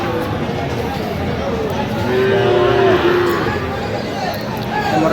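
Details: Sahiwal bull calves at Aftabganj cattle market on 6 September 2025, with farmers from Dhaka buying. A single moo lasting about a second, steady and slightly falling, rises above loud crowd chatter.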